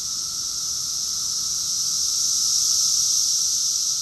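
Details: Summer cicadas in Rockville, Maryland, USA, June 2021, singing as a chorus: an unbroken, shrill buzzing wash of sound that gradually grows louder over a few seconds, backed by a fainter constant lower tone.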